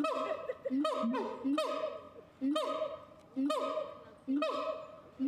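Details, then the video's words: A siamang gives a rapid series of rising whoops roughly every 0.8 seconds. Each note is an abrupt upward sweep with a ringing, harmonic-rich tail, growing steadily louder against a low steady background. "SIAMANG SUARA KERA GONDOK"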